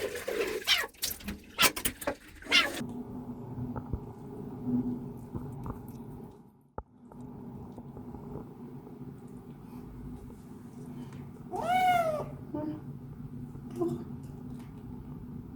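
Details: Kitten named Binwoo on its first day in a new home, the same day it was bathed and had its claws trimmed: one short arched meow late on, indoors, after early clattering and knocks and a low room hum.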